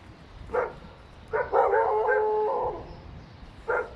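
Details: Dogs barking indoors in an apartment building: a single sharp bark, then a long wavering howl or whine lasting about a second, then another short bark, over a low background hum.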